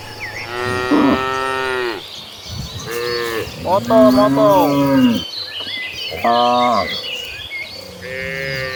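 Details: Several tame cattle moo in turn while walking toward the pasture, long drawn-out lowing calls overlapping from different animals in a large herd.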